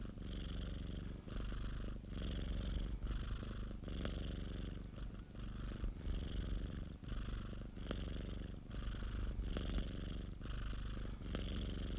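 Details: Pet cat's purr recorded by its owner's colleague: a rich low rumble alternating with airy breaths about once per second, steady and unbroken.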